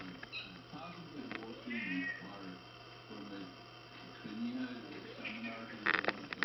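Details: Domestic mother cat with her kitten daughter, teaching her self defence: low, moaning harmonic growls in short bursts, a brief higher wail near two seconds, and sharp clicking scuffles at the end.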